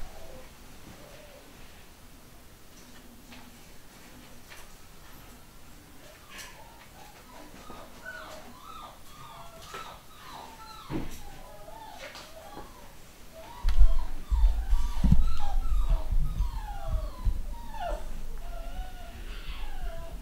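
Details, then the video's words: New UK litter of pedigree Long Haired Miniature Dachshund puppies producing a long series of short, high, wavering squeaks from several pups at once, growing busier toward the end with rustling and knocking nearby. "New litter of Pedigree Long Haired Miniature Dachshund"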